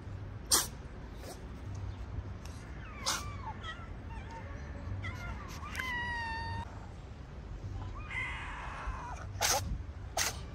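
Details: Stray cats in a small park, some of them sick and sneezing, with a shelter where they sleep; several short cat meows, rising and falling, one clear harmonic cry near the middle, with sharp clicks and low background rumble.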